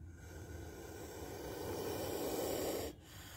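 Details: Spectacled cobra hissing: a steady, rushing exhalation swelling for nearly three seconds before stopping abruptly, with faint low background noise.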